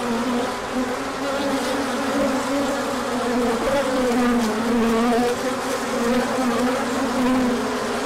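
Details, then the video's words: Many bees hum together during a large orientation flight on 24 March 2024, when sunshine followed colder weather and pollen began coming in. The buzz is continuous and thick, its droning pitch sliding gently up and down. "Large Orientation Flight."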